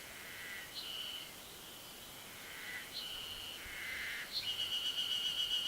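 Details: Yezo spring cicada calling on a ridge at 900 m elevation in the Ashiu primeval forest, Japan, 26 May 2012, recorded with an external microphone; repeated rising high whirring phrases that build into a steady pulsing drone, with other cicadas heard faintly.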